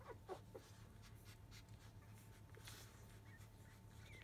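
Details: Newborn field-line Labrador Retriever puppies, five days old, early afternoon after feeding while the mother dog stimulates them to relieve themselves; three quick high squeaks open, followed by soft breathy panting and shuffling over a low electrical hum.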